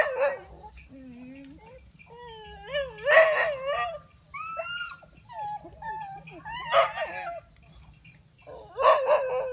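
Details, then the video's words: Village dogs agitated together, trading piercing yelps, rising and falling whines and howls, broken by sharp bark bursts near the start, middle and end. "Awesome dog in the village want to attack together."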